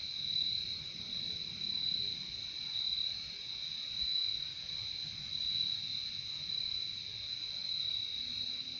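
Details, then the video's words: Many crickets trilling together in a natural setting, a dense high-pitched ringing drone that rises and falls in soft waves about once a second, with only faint low rumble underneath. "Fall asleep with Relaxing sound of crickets"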